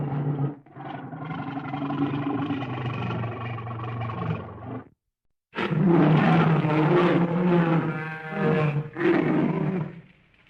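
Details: Bear in wild country giving long, deep, rasping roars: one steady growling roar of about five seconds, a short silence, then a louder, broken roar with ragged bursts and breathy breaks.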